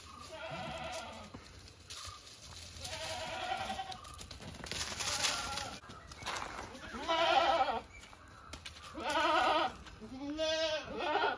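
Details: Farm goats bleating: several wavering, harmonic bleats spaced a second or two apart, some rising then falling, with quieter gaps and faint background noise between calls.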